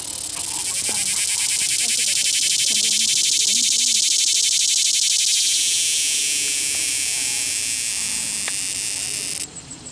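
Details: Cicada caught by hand at Longwood Gardens, Pennsylvania, giving a loud, harsh, fuzzy buzz made of fast, even pulses for about nine seconds, then stopping abruptly; faint voices murmur underneath.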